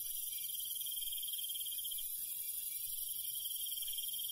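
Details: Countryside crickets calling at night, a rapid high-pitched pulsing trill that runs for about two seconds then resumes, backed by a dense, continuous shrill insect buzz.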